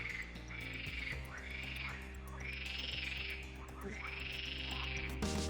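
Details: A frog chorus in a meadow kettle-hole pond known as a frog pond, in Wielkopolski National Park, Poland, gives rising-and-falling croaking bursts over a steady low musical drone.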